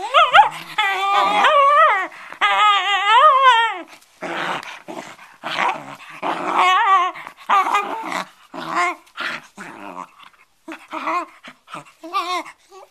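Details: Bedlington Terrier at play with a cloth indoors, giving wavering, whiny growls that rise and fall in long bursts early on, then shorter choppy grunts and yips spaced irregularly.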